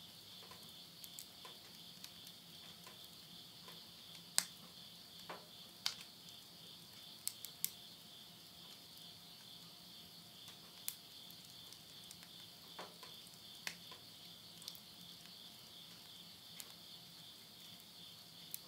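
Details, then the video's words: Insects at midnight in the Tottori countryside of Yurihama, Japan, late summer September 2020: a steady, even high buzzing drone on two close pitches, broken by sharp crackles and pops of wood burning in a stove. "the voice of insects"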